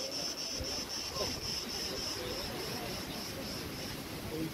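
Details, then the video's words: Cricket chirping recorded in August 2020 at Preveli Beach on Crete, with tree branches in the wind. A fainter high, rhythmic pulsed chirring runs continuously behind a broad wash of wind and rustling. "RELAXING sounds and MEDITATION sounds of crickets"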